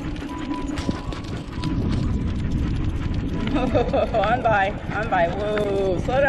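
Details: Two excited dogs, Tonka the malamute and Monroe, so eager before a bikejoring morning they can't sit still for their leashes; in the second half a rapid run of wavering, high whines and yips rises and falls over shuffling, rustling movement.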